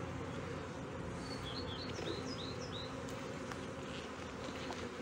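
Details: Honey bee colony buzzing in Brno, 2022, where the bees' own queen cell hatched before an inserted one; continuous low hum, with a small bird twittering in short rising chirps in the background.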